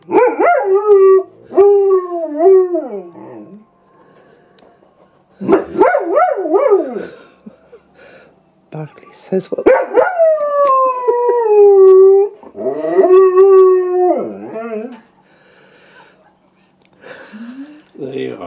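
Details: Howling German Shepherd Silva, set off by an animal on TV, lets out uneven wavering howls and yelps in bursts separated by quiet gaps, with one longer descending note in the middle and faint voices in the background.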